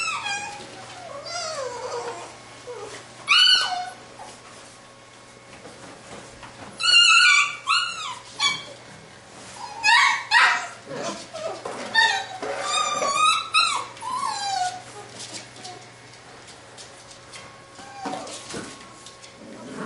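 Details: Labrador retriever puppies from a B litter playing together, letting out bursts of high, squeaky yelps and whimpers, several in quick succession around seven and twelve seconds, with a steady low hum underneath.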